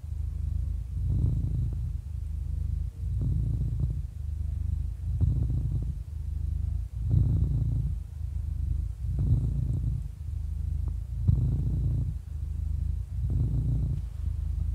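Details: Happy 11-year-old cat in a long, even purr, a low throbbing drone that alternates between inhale and exhale phases roughly every two seconds, with brief airy bursts at each phase change.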